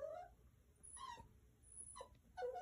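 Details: A 9-week-old male Miniature Schnauzer puppy, just back inside, gives short, high, nasal whines, demanding to take his indoor toy squirrel outside.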